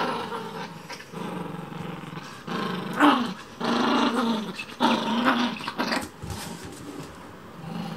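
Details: A Chihuahua indoors gives rough growling barks in short bursts while getting in the way of cleaning.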